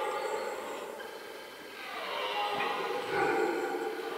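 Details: A powerful rutting roar of a red deer, heard from the middle of a rutting hollow: a continuous rough, harmonic bellow that dips slightly, then swells louder toward the end.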